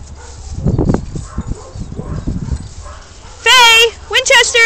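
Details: Weimaraner in a group of many Weimaraners, with murmured human speech first, then one loud, sustained high whine followed by two short sharp yelps near the end.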